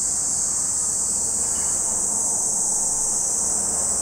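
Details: Cicadas at Lake Kamo in Sado City, Niigata Prefecture, Japan: a steady, unbroken high-pitched shrill drone holding level for the whole stretch, with a low faint rumble underneath.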